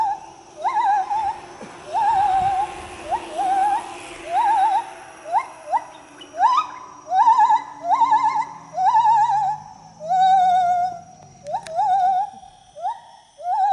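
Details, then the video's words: Gibbon in the trees giving a long singing sequence: at first about one rising, trilled hoot per second, then quickening into shorter, sharper upswept whoops. A faint lower voice murmurs in the middle of the sequence. "A gibbon singing"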